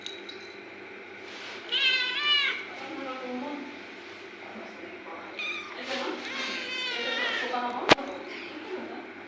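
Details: Pet cat meowing twice, each call a rising then falling harmonic wail lasting under a second, with softer mews between and a sharp click near the end.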